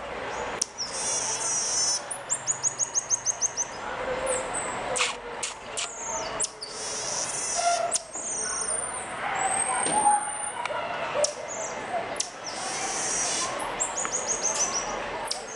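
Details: Common marmoset, known locally as mico, producing strange sounds: quick bursts of high chattering trills, rapid pulses strung together, mixed with sharp clicks and a few long thin whistles that bend slightly, over steady background hiss.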